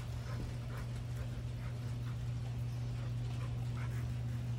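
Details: Two Rottweilers in a standoff over a bone; one gives a deep, steady rumbling growl with faint, short higher yips breaking through.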